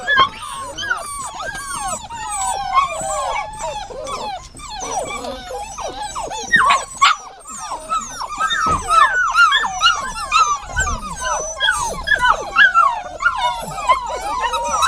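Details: Continuous dog whining: short, arched whimpers repeated about twice a second, crowded and overlapping throughout, with a few brief yips and soft knocks.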